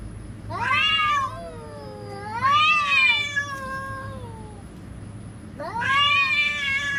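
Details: Threatening cats produce three moaning yowls, each rising then arching down, the second trailing off into a long sliding tone. A steady low background hum runs throughout.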